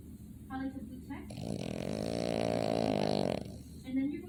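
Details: Boston Terrier snoring while asleep: one long, drawn-out buzzy snore lasting about two seconds, with a rough harmonic rasp, framed by brief murmured human speech before and after.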